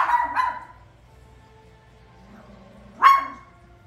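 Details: Watching The Lion King, a toy poodle gives two quick high barks, falls quiet over soft film music, then fires off one sharp, loud yip near the end.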